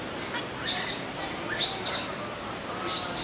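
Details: A 21-day-old captive Abyssinian colobus infant at Ueno Zoo crying desperately for help, drawing only its older brothers; three harsh, high, noisy squeals rise and fall about once a second over steady low background murmur.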